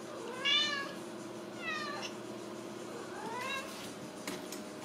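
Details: Ragdoll kitten at a home cattery in central Kansas, raised in the house without cages, giving three plaintive meows, each sliding up then down, with soft household hum and a faint click.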